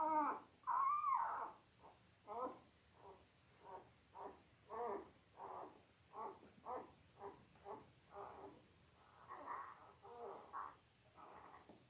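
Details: Five-day-old Labrador Retriever puppies, part of a litter of eight born October 15, 2023, filmed indoors by puppy cam; a steady run of short squeaky whimpers and cries, roughly one every half second to second, a few louder rising squeals at the start.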